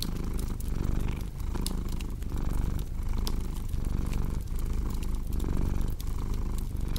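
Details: Pet cat's continuous deep purr, rhythmic rumble rising and falling roughly every 0.8 seconds, with sharp crackles from a cozy fireplace scattered throughout.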